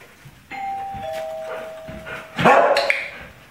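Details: Domestic dog that barks when someone approaches the door: a two-tone doorbell chime rings out first, then the dog answers with a loud burst of barking over the tail of the chime.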